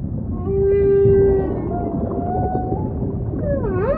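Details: Humpback whale song with a pure sustained moan, softer drawn-out tones, and a wavering swoop at the end, set against murky low-frequency ocean noise.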